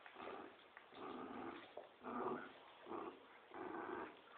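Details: Playful growling from dogs, a Poodle and a Dobermann, in a tug of war: rough, throaty growl bursts roughly once a second, rising and falling in loudness, indoors.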